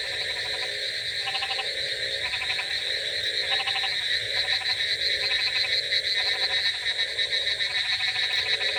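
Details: Rainy-night frog chorus: short pulsed croaking bursts repeat roughly three times a second in irregular clusters, layered over a constant high-pitched hum and a steady wash of background noise.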